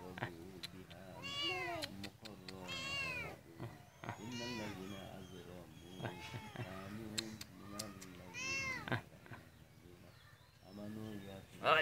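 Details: Domestic cat meowing repeatedly, drawn-out harmonic meows rising and falling, several in a row with short gaps, mixed with people talking in Bengali nearby and some background hum.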